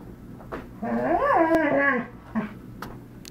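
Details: Dog, one of two named Zachary and Argos, giving a single drawn-out whining howl with wavering harmonic pitch that rises then falls over about a second, with faint short yips before and after in a small indoor room.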